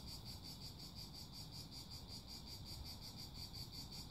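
Cicadas sing a high, pulsing chorus, each pulse a rapid shimmer repeating several times a second.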